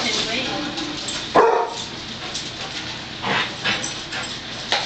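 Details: A pet dog that has hated the broom and vacuum cleaner since puppyhood, indoors, gives one sharp, loud bark followed by softer yips, over steady broadband rustling and household noise.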